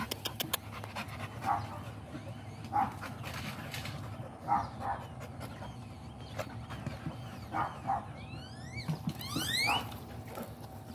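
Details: American Pit Bull Terrier giving short muffled barks every one to two seconds, with a quick series of high rising whines near the end over a steady low hum.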